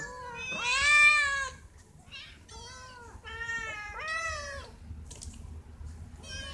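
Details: Pet cat meowing for food or attention, giving a run of five or six clear, bending meows of varying length with short pauses between them, in a quiet indoor setting.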